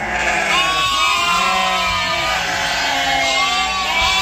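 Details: Several sheep on a sheep farm bleat together in the evening, giving wavering, overlapping calls from the flock.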